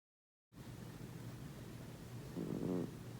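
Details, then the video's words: TJ, a female pet cat adopted nine years ago and a lifelong snorer, snores in her sleep: after a moment of silence comes a steady low rumble, then one louder, rasping snore swelling near the end. "Yes…my cat snores"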